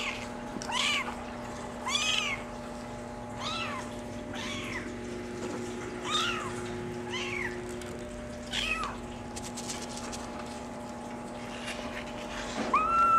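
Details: Young male Maine Coon, brown mackerel tabby with white, born July 17, repeating soft, high meows roughly every one to two seconds, about nine in all, against a steady background hum.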